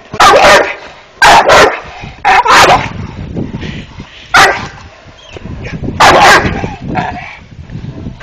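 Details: Malt, a five-month-old Dogo Canario, gives loud, deep, broadband barks, singly and in quick doubles, spaced about one to two seconds apart, with quieter low rustling and shuffling between the outbursts.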